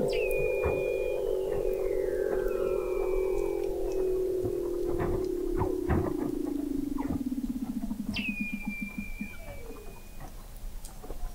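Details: Weddell seals beneath Antarctic sea ice in McMurdo Sound, November 2017, heard from the McMurdo Oceanographic Observatory 21 m down: a loud sustained low tone slowly falling and breaking into rapid pulses, with short high flat whistles and clicks over it.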